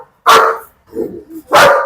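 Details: German Shepherd named Bruno, leashed, in Perumbavoor, barking in a dog challenge: two loud, harsh single barks about 1.3 seconds apart, with a softer rumbling sound between them.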